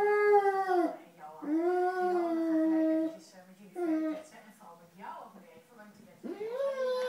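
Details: Dogo Argentino said to be in love, giving a series of wavering howls that rise and fall, several drawn-out notes broken by short whines, recorded indoors.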